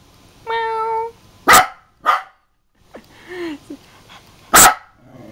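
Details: Angry house dog reacting to being mimicked by its owner: a short drawn-out tonal whine, then three loud sharp barks, with the owner's Italian speech between them.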